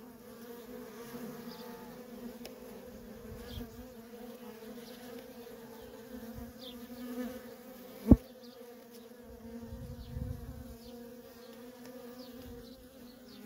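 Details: Feral honey bee colony with constant worker traffic, a continuous low humming buzz holding level throughout, one sharp click partway through and faint soft rumbles beneath.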